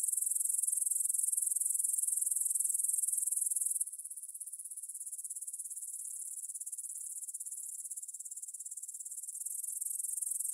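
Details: Evening chorus of grasshoppers at 9 pm, 6 September 2020, in a field near Bryansk's Svensky monastery, Russia, recorded on a Tascam DR-44WL: a loud, piercing high chirr for about four seconds, then a softer, steady pulsed trill continuing.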